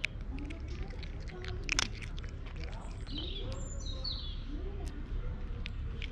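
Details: Pet cat, called a darling boy who is talking, giving thin, very high squeaky meows like a squeaky toy, one long wavering squeal after softer lower mews, with a woman's quiet coaxing voice and faint background hum.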